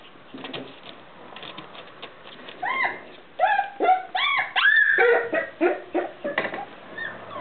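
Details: Irish terrier puppy, four weeks old, whining in a run of high, arched whimpers that rise and fall. The cries are tonal and come several per second in the second half, after softer scratchy sounds at the start.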